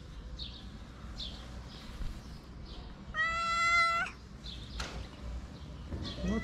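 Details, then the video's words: Homeless she-cat on a Moroccan street begging for food: one loud, level, harmonic meow of about a second in the middle, with a fainter rising mew near the end, soft human voices and street noise. "My cute friend's stray cat meows at the top of her voice for food."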